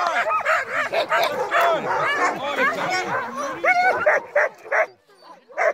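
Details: Night dogsledding in falling snow with a team of crossbred husky mixes: overlapping excited yelps and rising-falling whines crowd together, then thin out into a few separate sharp yips before a brief quiet.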